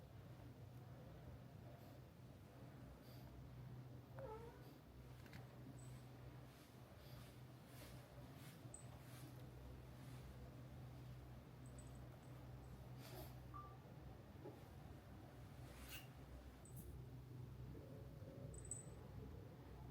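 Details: Mika-chan, the friendly female resident cat of Minshuku Nozaki, a hot-spring guesthouse near the sea in Ito Onsen, Shizuoka, Japan, purring close up indoors: a steady, low, even rumble running throughout, with a few faint clicks and rustles above.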